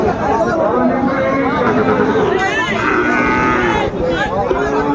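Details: Sahiwal bull calf at a busy cattle market in Kushtia, Bangladesh, 2 January 2025: drawn-out, low lowing with layered harmonics, heard over constant crowd chatter and nearby men talking.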